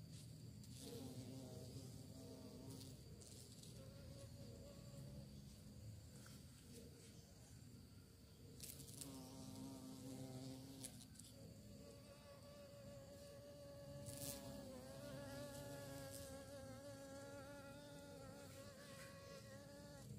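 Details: Buzzing bee on the hunt for prey, a wavering hum that comes and goes in several close passes, loudest near the middle and end, over constant low-pitched background noise with brief clicks.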